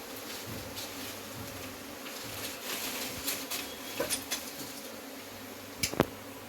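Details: A steady buzzing hum from honey bees during removal of their hive, with occasional taps and a couple of loud sharp knocks near the end.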